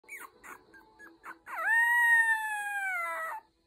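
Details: Small Cavalier King Charles Spaniel puppy in a puppy pen gives a few short squeaky yips, then a long, steady, high howl of nearly two seconds that dips slightly at the end.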